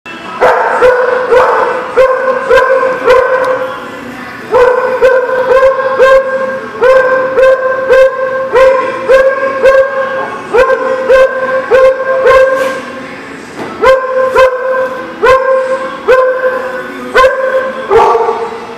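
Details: Dogs barking, recorded 10-12-19: a fast run of sharp, harmonic barks repeated several times a second in bursts, with brief pauses around five and thirteen seconds, then barking resumes steadily to the end.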